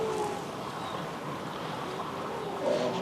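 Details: Grey seals sing, giving low, drawn-out, haunting moaning wails that carry over the water; the calls may pass between mother and pup, or be made by males to attract females and hold territories.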